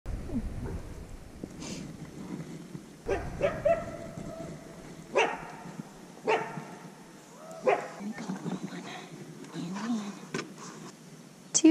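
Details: Critically endangered American red wolf pups give short, high yelps and whines in scattered bursts while people talk nearby during a wellness check, weighing and deworming at an offsite facility.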